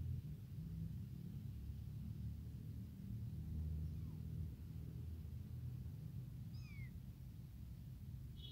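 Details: Abandoned tiny kitten, hungry for milk, crying to call its mother: a faint falling mew, then a clearer high meow that bends downward, under a heavy low rumble.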